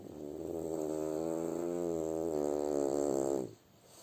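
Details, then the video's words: French Bulldog Kuzya snoring in his sleep: a long, low, buzzing rattle with stacked harmonic tones that waver and swell for about three and a half seconds, then cut off into quiet room hiss. "Как храпит французский бульдог"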